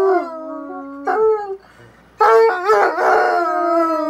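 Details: Two Bloodhounds trading howls: a low held howl, a short higher howl, a near-silent gap, then both dogs howling together in a bright, overlapping chorus.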